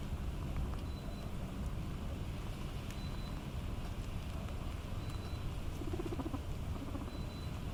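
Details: Three guinea pigs purr with a low, continuous rumble while eating.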